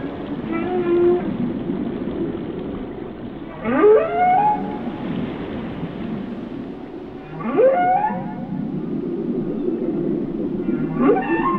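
Sustained low moans hum beneath the whale's song while bright upward-sweeping whoops rise over them about every four seconds. Deep underwater rumble fills the background throughout.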